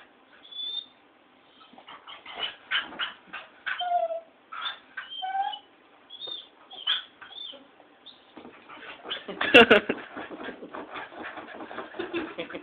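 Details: Pet dog reacting to lights at home, giving a string of yelping barks and high whistled whimpers roughly every half second, pausing briefly, then a loud burst of frantic barking near the end.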